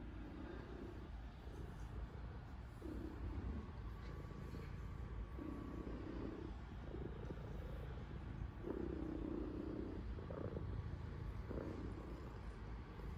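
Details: Pet cat kneading a blanket hard while purring loudly, leaving the blanket damp; a low, steady rumbling purr swelling in breathy pulses about every one to two seconds over a constant hum.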